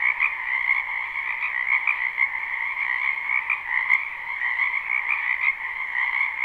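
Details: Frogs filling a spring wetland behind a house with croaking, recorded live: a loud continuous chorus of high trills over a lower band, with rhythmic louder bursts from close callers roughly every half second and one sharp click near the middle.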